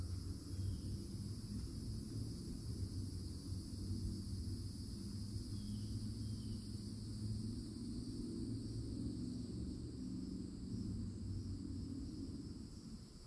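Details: Florida summer woodland edge with loud cicadas: a continuous layered high buzz holding steady throughout, a few brief faint bird notes, and a strong low droning background.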